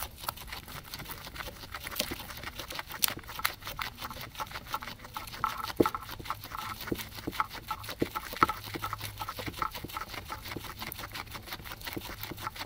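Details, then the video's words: Two guinea pigs eating grass, recorded with a ZYLIA ZM-1 microphone array in third-order ambisonics rendered binaurally; soft, dense crunching and nibbling clicks patter steadily throughout, with a faint low hum beneath. "Guinea pigs eating"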